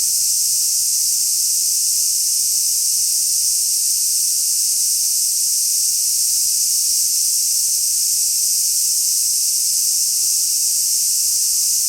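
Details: Aburazemi, the large brown cicada, recorded on 6 August 2016 at a prefectural health and welfare park in Koshigaya, Saitama: a dense, continuous, high frying buzz that never varies in loudness, with no other clear sounds.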